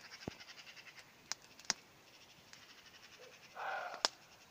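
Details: Evening in spring, a roe deer calls from afar as a campfire burns: a single hoarse, grating bark near the end, preceded and followed by crisp crackles of burning wood.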